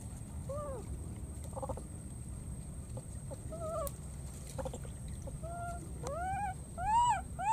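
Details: Calling for a missing friend, a wild baby monkey repeats short arched tonal cries, irregular at first, then louder, faster rising calls at the end, over a low steady rumble and high electrical whine.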